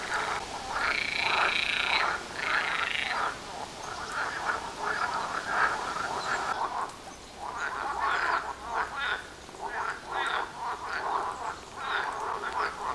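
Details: Frog chorus at a pond near houses, going day and night: loud, harsh croaking bursts with bright rasping overtones, rising and falling in waves of a second or two, several callers overlapping throughout.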